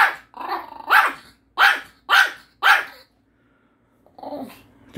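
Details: Happy, a pet dog, scolds its owner with barks and growly yaps over a withheld Korean melon: a rough opening yap, then four loud sharp barks about half a second apart, and a lower growling bark at the end.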